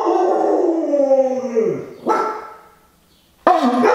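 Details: Siberian Husky howl prompted by a conch shell horn, a sustained tone sliding gradually downward for nearly two seconds, then a short bark-like burst, silence, and a fresh howl beginning.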